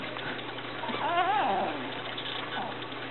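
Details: Japanese Chin puppy from the Niko x Pixie litter, recorded indoors on 30 November 2013, gives a wavering, yodel-like whine that rises and falls in quick warbles for about a second, over a steady low hum.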